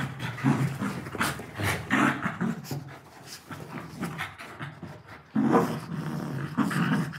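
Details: Playful pet dogs tugging at a pillow, a Labrador Retriever among them: throaty growling grunts and quick panting puffs come in uneven bursts, loudest near the end, over soft fabric rustle.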